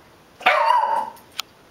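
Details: One strong bark from Bruce the puggle, harsh at the start then sliding down into a longer whining tail, followed a moment later by a short click in an otherwise quiet indoor room.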